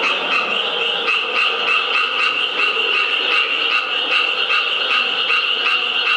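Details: Japanese tree frog at the National Museum of Nature and Science in Taito, Tokyo, on 15 April 2011, calling steadily: rapid, rasping, pulsed croaks repeated several times a second without a break.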